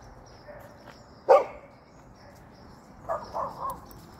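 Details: One loud, sharp bark from a hopping Golden Retriever, followed after a pause by a softer, quick triple of muffled barks.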